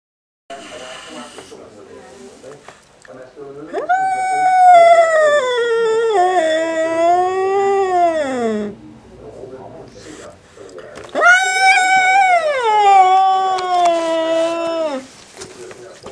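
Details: Angry male house cat indoors, upset by a black cat resting outside: two long, loud wailing yowls, each about five seconds, wavering then sliding downward, likened to an old lady screaming, with a quiet pause between.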